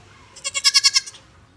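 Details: A goat being talked to gives a short, bright, nasal bleat that quavers in about seven quick pulses within less than a second, with faint human speech just before and after.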